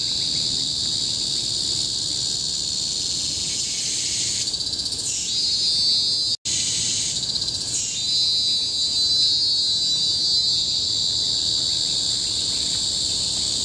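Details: Deafening cicada song from tropical forest on Bukit Timah Hill, Singapore, in 2017: constant high shrilling broken by two pulsing outbursts that waver and sweep, with a momentary silent cut near the middle.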